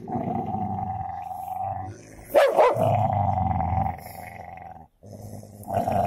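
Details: Fight between a Golden Labrador and a cocker spaniel: a steady deep growl broken by a sudden loud snarl or snap, then continued rumbling growls.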